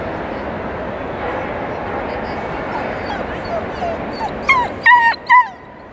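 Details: Portuguese Podengo Pequeno at the Crufts dog show, 9 March 2018. A steady murmur of hall crowd chatter fills the first four seconds, then three short, high, sharply pitched yips burst out in quick succession near the end.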